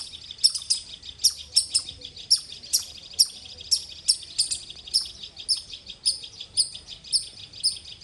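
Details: Rapid loud squirrel chirps, high and sharp, about fourteen in eight seconds, some coming in quick pairs, forming a persistent rhythmic series against a quiet background.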